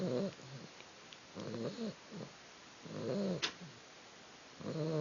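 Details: Young female puppy snoring while asleep, a soft rasping breath roughly every one and a half seconds, some breaths ending in a higher whistling squeak, with quiet pauses between.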